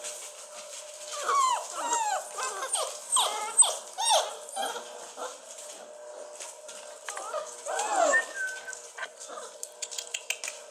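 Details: Basset Hound puppies of Flisa and Ogoogoo, 43 days old, born 15 May 2014 and recorded 27 June, whimpering indoors: bursts of high, bending whines and short yelps in clusters, with quieter pauses between and a final run of whines.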